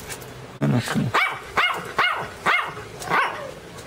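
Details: Pinscher named Teco, barking and crying very loudly: after a brief human exclamation, five sharp, arched barks ring out roughly every half second, each rising then falling in pitch.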